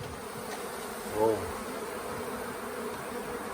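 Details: Honey bee swarm late in the year on the grounds of the Tamarind Tree Hotel, the bees undecided about staying in a nuc box during capture; a steady, dense low hum of many bees, with one louder buzzing bee passing close just past the first second.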